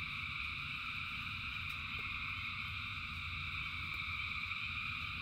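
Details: Countless frogs singing together in the rain, an even, buzzing trill chorus without pauses. A few crisp drip clicks and low steady background noise accompany it.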